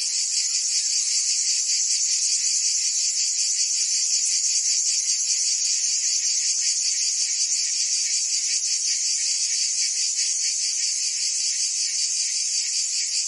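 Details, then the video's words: Provençal summer cicadas in full song, France: a constant high-pitched sizzling drone made of many overlapping insects, gently throbbing, level and uninterrupted across the recording. "Cicadas singing in France (Provence)"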